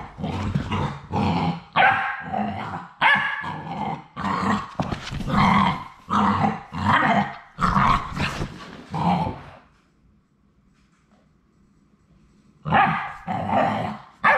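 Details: Three remaining Labrador Retriever puppies at High Desert Labradors, on their last day before joining their families, produce a steady string of sharp yelps about every half second, then near silence, then another burst of yips.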